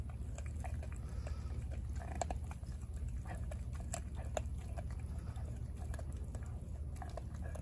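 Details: Denali, a female American Blue Bay Shepherd puppy aged four months, chewing on raw turkey neck, with wet crunching bites and sharp cracks spaced unevenly against a constant low rumble.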